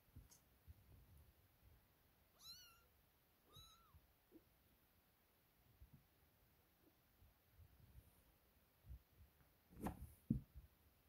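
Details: Playful kittens just up from sleep, with cat Sofia, let out two clear arched meows close together early on, then mostly quiet rustling, soft thumps and a sharp bump near the end.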